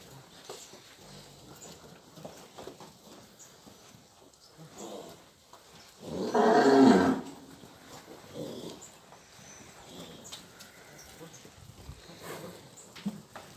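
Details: Nelore cows, a herd of calved and pregnant cows near Ribeirão Preto, São Paulo, Brazil; one loud harsh moo lasting about a second amid quiet farm background noise.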